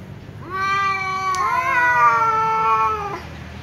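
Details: Loud prolonged meow from an angry tom cat answering a ginger cat that keeps meowing: a single steady, nasal, harmonic-rich wail lasting about two and a half seconds, slightly rising midway, over a faint low hum.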